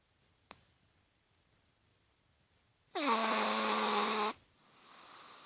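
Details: After a long near-silent pause with one faint tap, a Chihuahua lets out a single loud, buzzy snore lasting over a second, falling briefly and then holding an even, low, overtone-rich tone. The dog is sleeping.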